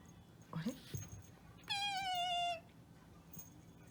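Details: Toy Poodle puppy named Quin, indoors at home on its 35th day after adoption, reacting to strange sounds. One high, thin, slightly falling whine lasts under a second, preceded by faint rustling and soft human vocal sounds.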